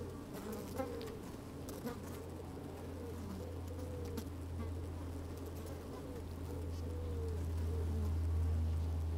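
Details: Inside an opened beehive on a sunny, slightly windy day, honey bees move about and occasionally buzz; a dense low drone dominates, overlaid by wavering mid-pitched buzzing that swells louder toward the end.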